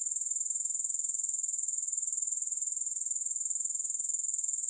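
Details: Grasshoppers sounding with no music: an unbroken, bright, high trill of quick regular pulses holding steady in loudness throughout.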